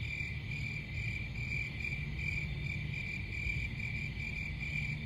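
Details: Crickets chirping in a steady, continuous high trill with rapid pulsing, over a constant low rumble of background noise.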